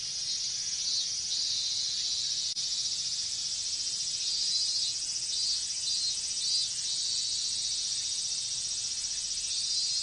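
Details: Massed cicadas singing in the heat of a Japanese summer: a continuous piercing buzz with gentle rises and falls, one brief click partway through.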